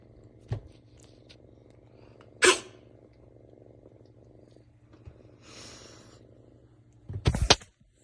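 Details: Cat sneezing: two sharp, explosive bursts about five seconds apart, the second a quick double sneeze, over a steady low rumbling hum, with a soft short click and a brief breathy rustle between.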